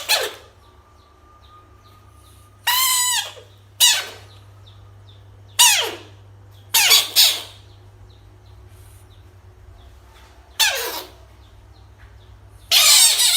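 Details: Frog harassed by toys gives scattered screams, some brief sharp downward bursts and some longer harmonic wails, about seven in all at uneven intervals, with a low background hum.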